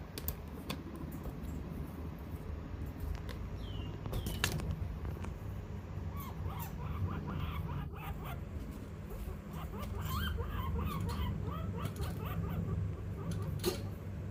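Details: Guinea pig named Pippi chirping while scared of something: rapid runs of short, high tonal chirps that cluster and repeat through the second half, over a steady low hum with scattered clicks.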